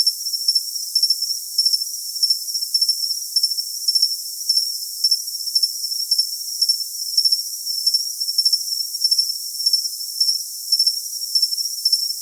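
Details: High-pitched cricket song, an unbroken shrill tone broken into evenly spaced pulsed chirps, with a faint higher overtone and a silent low range.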